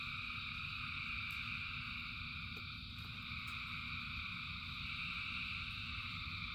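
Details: Frogs in heavy numbers sing through the rain, producing a seamless high buzzing chorus over a low rumble of rainfall, punctuated by a few crisp drop taps.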